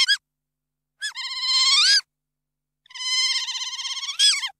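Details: Otter chirping: a brief opening chirp, then two extended squeals with a trembling, wavering pitch, the second ending in a sharp upward-swept note, with clean silence between calls.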